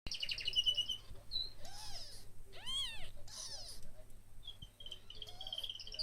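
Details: One-day-old kittens giving a few short, high, arching mews, each rising then falling, mixed with bright twittering bird chirps throughout and a low steady hum underneath.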